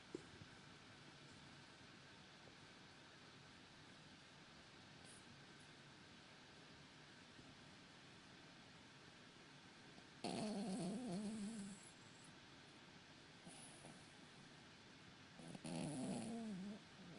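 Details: Sleeping Cavalier King Charles Spaniel, dreaming, gives two short bursts of wavering, whimpering whines about five seconds apart against a steady low room hiss.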